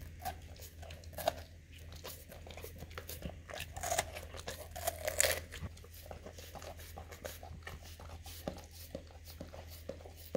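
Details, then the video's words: Male English cream golden retriever nibbling his favourite fruit, a juicy watermelon slice, in a small room: scattered soft crunches, tearing and licking noises, busiest around four to six seconds, above a constant low-pitched hum. "ASMR Dog Eating Juicy Watermelon Slice - 8 Hours - Looped - Licking & Chewing Crunchy Fruit"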